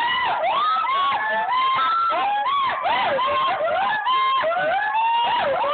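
Several gibbons call at once, their loud whooping notes sliding up and down and overlapping in a dense chorus.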